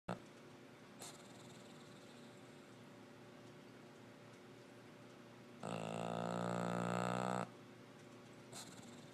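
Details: A sleeping female English Bulldog gives one long, rough, rattling snore that stands out against a quiet background.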